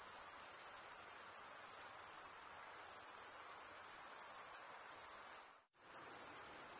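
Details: Stridulating male crickets rasp out a steady, piercing high trill that runs continuously, then drops to brief silence near the end before resuming just as loud.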